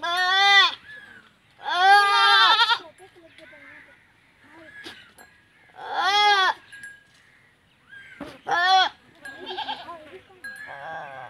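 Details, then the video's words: Goats mating in a village in Punjab, Pakistan, give harsh quavering bleats, two close together, then one more and a short cry, with faint shuffling and low murmuring between calls. "Goat Mating Video"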